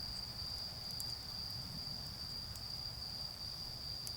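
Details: Autumn insects calling at night in a garden beside a bonfire: a steady, high, unbroken shrill trill holds one pitch throughout, with faint crackles of fire and a low rumbling background.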